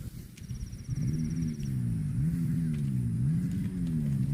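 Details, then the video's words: Cow giving a deep, wavering moo that rises and dips in pitch in repeated swells for about three seconds, over low outdoor rumble. "COW SOUND"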